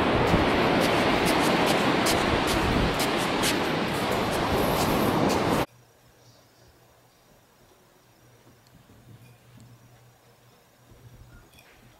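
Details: Loud broadband rushing noise fills the first six seconds, then cuts abruptly to near-silence with a faint low hum.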